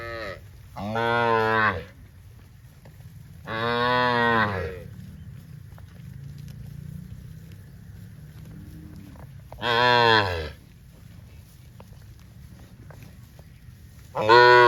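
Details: Cows from a herd of dozens running happily through green rice fields on a cattle farm, sounding loud drawn-out moos about every three to six seconds, each strongly harmonic, with quieter rumble between.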